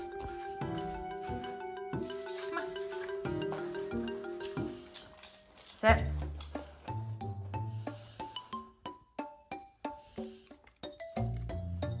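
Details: Bright marimba and xylophone-like music with bell tones plays under speech, with a sharp thump near the middle and plucked mallet notes in quick succession toward the end.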